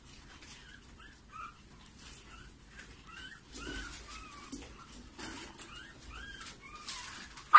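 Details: Maltipoo puppies from a litter of five siblings, giving high, thin squeaky whimpers and yips that rise and fall, several overlapping from different pups, with soft rustling and a louder knock at the end.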